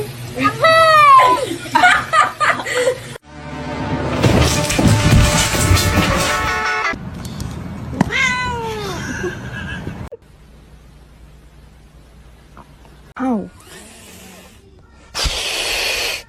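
A kitten gives several high, arching meows between bursts of music and a few spoken words.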